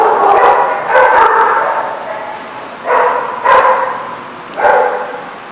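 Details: Dogs at The Barking Lot, Rhode Island, recorded 24 January 2014: loud, harsh barks in bursts, a pair near one second and single barks spaced about a second apart afterwards, with reverberant indoor echo.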